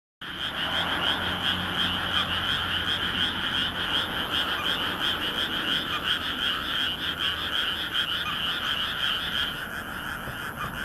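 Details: Frogs in a dense night chorus from a rice paddy in Nagoya, Japan, under a bright moon reflected in the water, recorded 13 May 2016 on a compact camera: continuous overlapping rapid croaks forming a steady pulsing wall of sound, with faint low hum.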